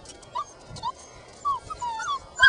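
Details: Five-week-old puppies playing outside, whining after noticing a person nearby; short high whimpers in separate bursts, some rising and falling, with a person talking softly between them.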